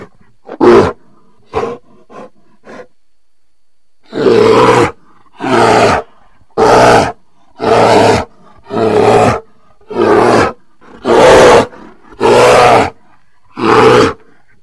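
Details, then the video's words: Bear roaring: four short, gruff bursts open the sequence, then after a brief pause nine long, rough, deep roars follow about every second and a quarter, each harsh and broadband, with near silence between them. "Bear Sounds"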